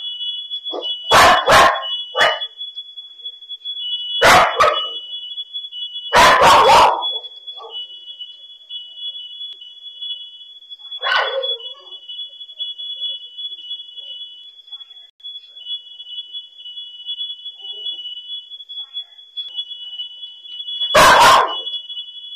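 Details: House dogs barking as fire breaks out at home, captured on a dog camera: clusters of sharp barks early on, a lone bark mid-way and another near the end, against an unbroken piercing smoke-alarm tone.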